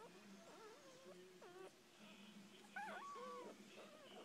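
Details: Whining calls from six-day-old puppies of a rescued mother, with wavering squeaks that rise and fall, several in quick succession, against a constant low hum and faint room noise.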